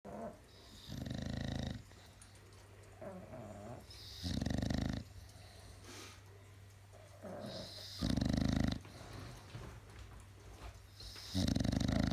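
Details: Bulldog Belladabull and pug Peggy Sue asleep on a hazy Sunday afternoon: deep, rasping snores come as loud rumbling bursts roughly every three to four seconds, with a low steady hum and quieter breathing between them.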